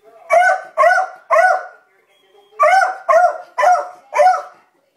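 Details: Libby, a beagle in a self-described panic mode, barks at dogs across the street; two bursts of three and four rapid harmonic barks separated by a one-second pause.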